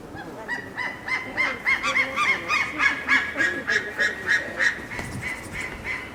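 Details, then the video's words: Red panda female in a winter breeding-season zoo enclosure at Maruyama Zoo, Hokkaido, Japan, 23 January 2012, facing a male head-on and crying a wary 'keep away'; rapid run of squeaky, nasal harmonic notes, about three per second. "キュゥ！レッサーパンダの鳴き声~Red Panda cries "Culuu""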